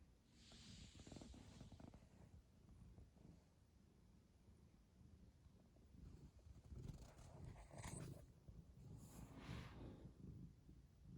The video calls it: Coconut the cat ฅ^•ﻌ•^ฅ purrs